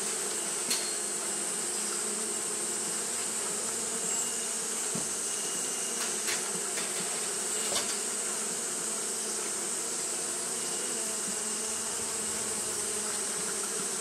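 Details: Steady droning of Japanese honey bees fanning on a hot day, layered low hum over fourteen seconds, punctuated by several brief knocks and taps, with a continuous high hiss.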